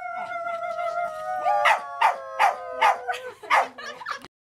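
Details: Howling at a farm by dogs, opening with a smooth sustained note that sags slowly in pitch, overlaid from midway by a rhythmic series of short loud yelps roughly twice a second before ending abruptly.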